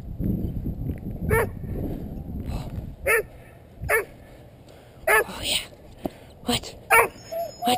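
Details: Nine-month-old female Doberman named River barking during a protection training round on an intermediate sleeve, filmed with a head-mounted GoPro Hero2; short sharp barks roughly every second after a rustling scuffle, with a man's voice.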